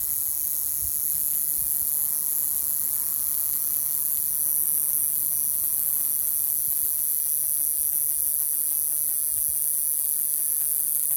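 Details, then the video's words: Male cicada on a Pacific Madrone shedding last year's bark in June in Ruch, Oregon, singing to attract females: a steady, very high-pitched continuous drone without breaks, with faint low rumbling beneath. "Male cicada making sounds to attract females"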